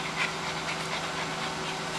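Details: Female Siberian Husky panting while following spoken commands such as sit, left, right and turn, recorded 17 June 2010; soft rhythmic breathy bursts repeat about every half second over a steady low hum.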